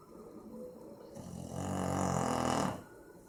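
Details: Sleeping Boxer named Maizena snores loudly, recorded 18 April 2015: a single drawn-out, buzzy low rattle lasting about a second and a half, rising in strength then stopping abruptly, in a quiet room.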